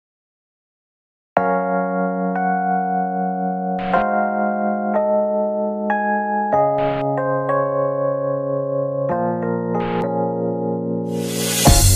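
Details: Electric piano music plays in sustained chords after a moment of silence, ending in a burst of noise, with no animal sounds.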